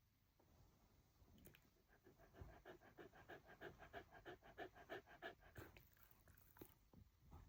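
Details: Haru, a female Shiba Inu born 24 August 2019 who lives in the countryside, grins happily on learning her older brother is staying over; quick, rhythmic panting of about three breaths a second swells in the middle, soft and close.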